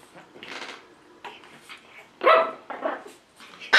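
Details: Eight-week-old Pekingese puppy giving a few short, high yelps and squeaks, scattered unevenly over four seconds, the last ones loudest; a person speaks briefly in between.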